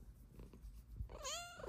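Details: Pet cat lying on a love sack, meowing for belly rubs: a low rumbling background, then one short, bright meow that rises and falls at the end, in a quiet indoor room.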